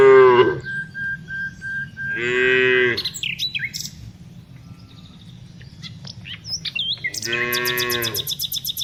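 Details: Tame cows herded in the afternoon: a short low moo opens, then two more harmonic-rich moos about five seconds apart, with bird chirps and high whistles scattered between them.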